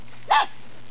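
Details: Belgian Malinois Shepherd puppy, eight weeks old, born 29 November 2015, in Williston, Florida: a single short, sharp bark with a quick rise and fall, over a low steady hum.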